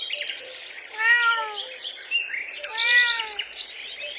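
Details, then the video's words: Kitten on grass while stalking butterflies gives two drawn-out, gently rising then falling meows about two seconds apart, with faint bird chirps in the background. "Adorable Kittens Stalking and Chasing Butterflies on the Grass – Meowing Sounds"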